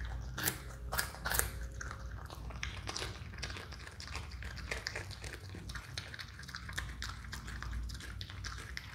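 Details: A pet Himalayan marmot crunches and grinds a carrot with sharp bites and steady chewing.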